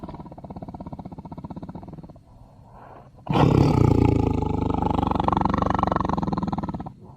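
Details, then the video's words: Tiger giving low, pulsing groans and snorts for two seconds, a brief quieter pause, then a much louder, rough, throaty roar that swells at about three seconds and holds, rumbling, for nearly four seconds before breaking off. "Tiger Sounds"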